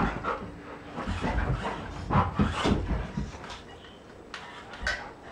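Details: Golden Retriever and Poodle chase a small electric monster truck around a living room; quick breathy panting repeated about four times a second, with a soft whimper, floor thuds and motor whine.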